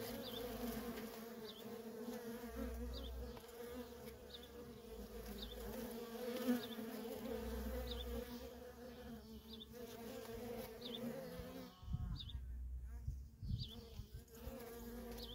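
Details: Worker honey bees in nonstop traffic at a feral colony, a steady low droning hum with a deeper overtone, faint high chirps recurring about every second, and a brief rustling disturbance near the end.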